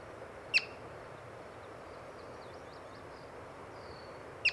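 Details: A yellow-bellied marmot, encountered while birding, gives two abrupt, high chirps about four seconds apart; soft distant bird twitters fill the gap over an even background hiss.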